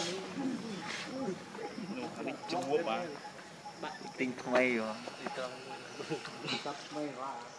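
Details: Baby monkey Leo, hungry and begging its mother for milk, cries loudly and pitifully: wavering, harmonic wails that rise and fall in quick succession, repeated throughout with brief pauses.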